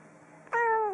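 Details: Domestic cat meowing: after half a second of quiet room hum, a single clear, tonal meow rises sharply, then holds steady and slightly drawn out for about half a second.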